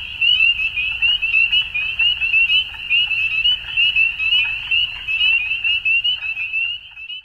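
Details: Frogs in an Ontario, Canada spring dusk, a massed high-pitched peeping trill holding steady, punctuated by rhythmic louder swells about twice a second before the sound cuts off at the end.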